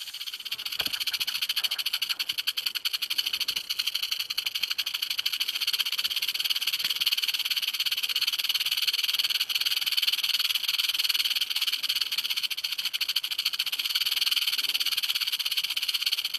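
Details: Continuous rapid rattle of a western diamondback rattlesnake, a loud, even, high buzz of fast pulses held throughout with no pauses.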